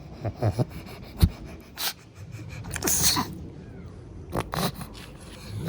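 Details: Sleepy pug resting after playtime gives short snorts and a sneeze-like burst near three seconds, with quieter snuffly breaths between, indoors.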